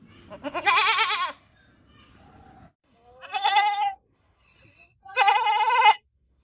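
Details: Goat bleating on a farm, three wavering, harmonic-rich bleats roughly every two seconds, the first long and tremulous, the later two shorter, with quiet gaps between.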